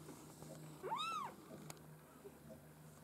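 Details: Maine Coon kittens from a breeder's litter, a single clear arched meow rising then falling, high and thin, about half a second long, over a steady low hum.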